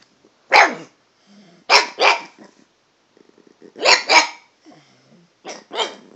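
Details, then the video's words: Chatty pet dog Toby barks at a cat with varied pitches: single and paired loud barks spaced about a second apart, with quieter low whines and grumbles filling the pauses. "Toby talking to the cat"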